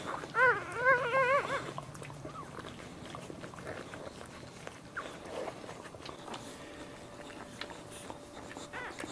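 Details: Dog in labour, giving birth to a pup while standing. Quick wavering whimpers come early on, a few short warbling yelps within about a second. Quieter rustling and shuffling follow.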